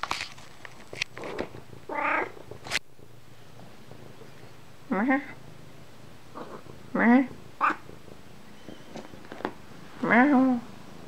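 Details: Domestic cats meowing in the morning: several separate meows with wavering, harmonic tones, some rising then falling, spaced a few seconds apart, with faint clicks and light household sounds between calls.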